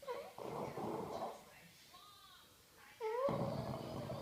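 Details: Daisy, a French Bulldog, snores loudly while asleep indoors. Two long, rasping breaths are separated by a quiet pause, and each one begins with a short whistling nasal squeak.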